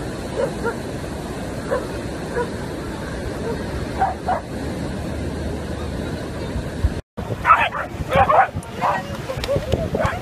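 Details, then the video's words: Welsh Corgi puppies playing with a ball: faint scattered yaps under a steady background hiss, then, after a brief cut, a quick burst of louder, sharp high barks in close succession, with people's voices nearby. "Corgi Puppy Barking"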